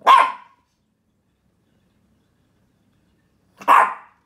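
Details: Pet dog demand barking, behaviour for which it is scolded; two short sharp barks about three and a half seconds apart, with silence between them indoors.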